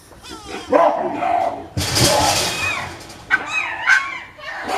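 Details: Captive baboons fighting inside their enclosure, a male chasing the others; harsh barks followed by a loud, broad screaming burst and shrill chirping cries, with a person talking over them.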